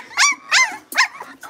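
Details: Young blenheim Cavalier King Charles Spaniel puppies from a litter of five, in a puppy pen, give three sharp, high-pitched yappy barks in quick succession, followed by a softer trailing yip.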